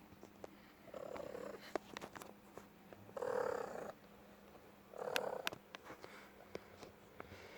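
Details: Pet cat in a room making two hoarse, muffled, breathy calls about two seconds apart, with soft clicks and room noise between them.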